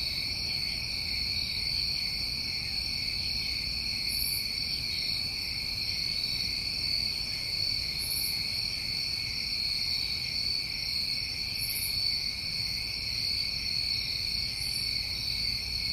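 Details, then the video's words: A New England summertime cricket chorus keeps up a steady, high metallic trill, while faint, very high sizzling bursts recur about every four seconds above it. "Tinnitus Masking With Crickets"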